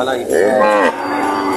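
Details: Cattle at a livestock auction in Lemery, Batangas, Philippines, on June 13, 2025, where cows and heifers are being priced. A single short moo rises and then falls over about half a second, with the hum of a busy crowd behind it.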